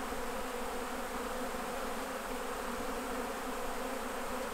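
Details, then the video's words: Continuous dense buzzing of a honey bee colony while honey is being harvested from the hives, an even, unbroken drone with a strong low tone and a bright, hissy wash above it, no pauses. "Bee Keeping Honey Harvest"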